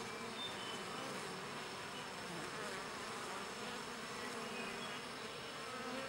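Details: Hive bees cleaning each other by grooming produce a constant, rough humming buzz, unchanging in loudness over six seconds, many wingbeats blended into one drone.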